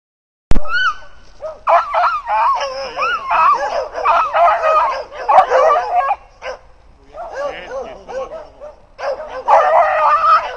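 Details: Several beagles near wild hogs, two loose beagles and others tied up, bay and howl in overlapping bursts: rising, wavering yelps and drawn-out howls, nearly continuous, with two brief pauses around six and eight seconds.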